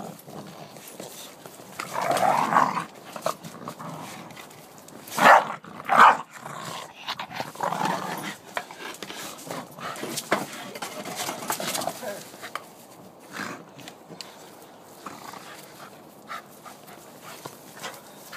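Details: A blue Staffordshire bull terrier and a brindle dog growl and snarl in short, rough bursts while fighting.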